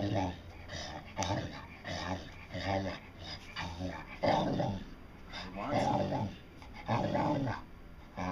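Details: Dotty, a pet dog, making a 'talking' vocalization meant as "I want some": a series of low, growly, voice-like moans repeated in short bursts about every second and a half, indoors with faint background noise.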